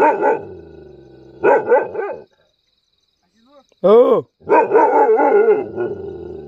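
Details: A Mudhol Hound barks in short, rough bursts, with a quick yelping sweep between them.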